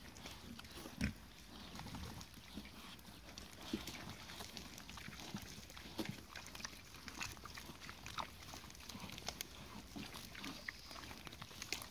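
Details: Mangalica woolly pigs at play with a football, giving faint, soft low grunts scattered through the recording among sharp clicks, thuds and rustling on the ground.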